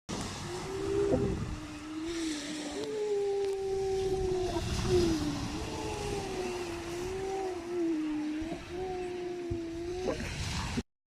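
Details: Seals in the UK moan in long, quavering tones, each call sliding up and down for several seconds, over low rumbling like wind or distant water.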